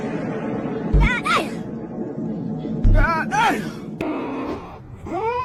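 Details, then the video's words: Kitten meowing in a funny cat compilation: three arched, rising-then-falling meows spaced about two seconds apart, over background speech and music. "Funny Cat 😾 kitten meowing"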